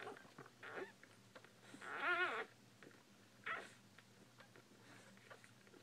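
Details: A newborn Bull Pei puppy gives one strong, wavering whine in the middle, flanked by fainter, shorter squeaks and light clicking in a quiet room.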